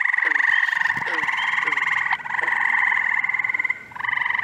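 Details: Early June frog chorus in upstate New York, when spring and summer callers overlap: sustained rapid pulsed trilling across the whole stretch, with a short dip near the end and scattered lower twangy calls.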